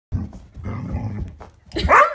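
A Vizsla gives a low, throaty grumble lasting about a second, rough and uneven in tone. After a brief pause it lets out a louder, higher yelp that bends up and down in pitch.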